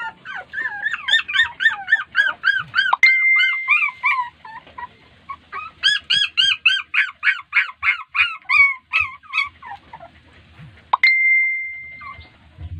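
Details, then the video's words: Puppies crying after being ignored by their mother dog, who may not be in the mood to feed them; rapid high whimpering yelps, several per second, rising and falling, with two long steady whistle-like tones breaking in. "Crying Puppies"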